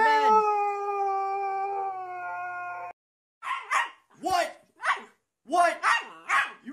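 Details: Siberian Husky holding a long, level tonal howl for about three seconds, then after a pause breaking into a string of short, rising-and-falling talkative yowls in uneven bursts.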